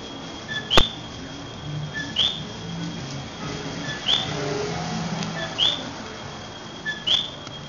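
A coqui frog repeats its two-note 'co-qui' call, a short low note followed by a higher rising chirp.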